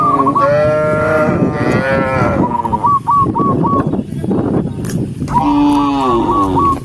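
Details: Tame cows walking home in a group on a countryside path at sunset, mooing to call the rest of the herd: loud, sustained, bending moos back to back, broken by a short run of quick whistled chirps.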